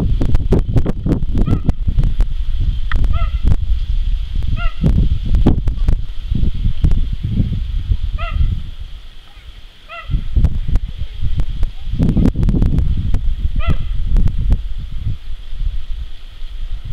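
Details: Jango, a male cheetah at Zoo de la Boissière du Doré, recorded 21 September 2014: about six short, high, bird-like chirps, some paired, spaced irregularly over steady low rumbling and thumping noise.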